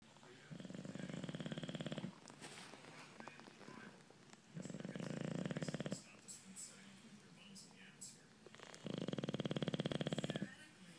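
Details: Male bulldog snoring: three long, rasping, pulsed snores about two seconds each, separated by quieter breathing pauses, a deep rattling rhythm in each breath.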